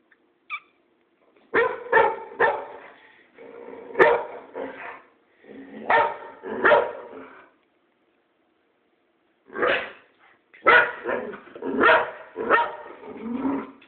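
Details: Pet boxer barking at its owner for no clear reason: sharp broadband barks in clusters, then a pause of about two seconds, then a denser run of barks mixed with drawn-out whining, grumbling sounds between them.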